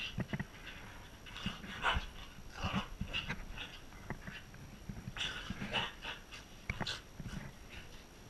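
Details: A Corgi, indoors in a small room, making soft short huffs, panting breaths and faint whimpering sounds in uneven bursts over several seconds, with a steady electrical hum in the background.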